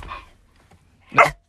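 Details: Dog giving a single sharp, loud bark, preceded by a person speaking softly.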